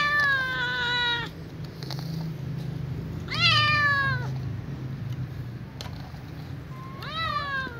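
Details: Hungry ginger kitten calling at night to be fed, family close by: three falling harmonic meows separated by pauses of about two seconds, the middle one loudest, over low hum and faint clicks.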